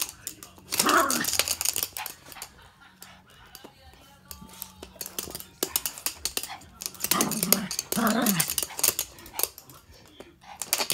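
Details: Toy poodles El and Happy Hannah playing indoors with stuffed toys in the morning, one toy pushed under the sofa; short harsh growly barks burst out near the start and again around seven to eight seconds, with a person talking in between.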